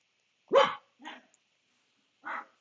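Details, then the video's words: Pet dogs barking in the background at home while their owner records a physics lecture; one sharp loud bark, a softer second bark half a second later, then a third bark after a pause. "my dogs barking, if you can hear them."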